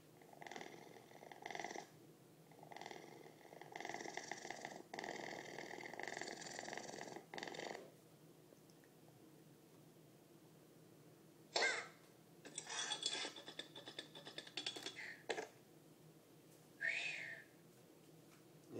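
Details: Talking domestic cat recorded on 13 June 2011, first giving rough, purr-like murmuring bursts for about eight seconds, then a pause, then short chattering vocal sounds and a brief rising meow near the end, indoors and quiet.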